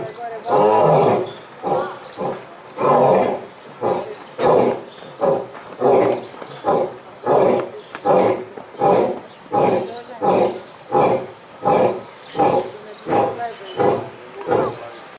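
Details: Lions at Belgrade Zoo, Serbia, in captivity: a long roaring bout of deep, breathy grunting roars, about twenty pulses repeated roughly every three quarters of a second, loudest early and gradually shortening, with a person's voice faintly present.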